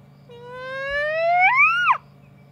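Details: A single drawn-out whoop from a little hyena, climbing slowly and smoothly in pitch, swelling in loudness, then falling abruptly at its close, over a constant low background hum.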